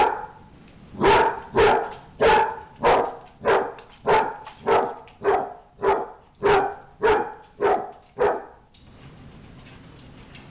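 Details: Barking from a dog fight: a steady run of about fourteen loud, harsh barks nearly two per second, stopping abruptly before a faint background hiss.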